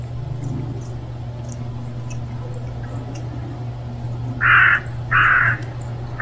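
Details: A hungry stray kitten gives two short, loud mews about half a second apart, each a bright, slightly strained cry, over a steady low electrical hum and faint background noise.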